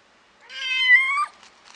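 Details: Norwegian Forest Cat at a pet shop in Amagasaki, Japan, giving a single drawn-out meow of nearly a second, rich in harmonics, held level then dropping sharply at the end, followed by faint rustling.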